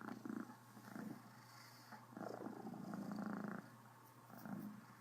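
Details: Purring of Criquette, a happy female Cornish Rex with a slight case of hiccups, a coarse rumbling purr rising and falling in long pulses, the strongest stretch lasting over a second.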